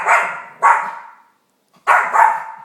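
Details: Female dog barking at the TV indoors after performing sit, drop and roll tricks: two pairs of loud, harsh barks with a tonal ring, a short pause between the pairs.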